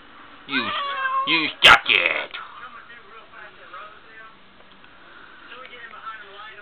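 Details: Smokie, a female pet cat who likes to tell her owner what's on her mind, answers a person talking to her with two drawn-out, wavering meows, then a sharp knock and a quiet room.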